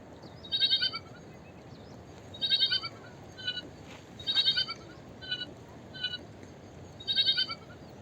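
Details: A small sheep calls with a run of high, quivering bleats, long pulsed calls alternating with brief softer ones, about one every second, over a constant background hiss.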